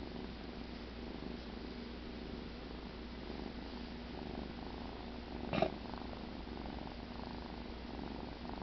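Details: Pet cat Cheddar purrs softly and steadily while asleep after the "kill", interrupted midway by a single short louder rustle or bump.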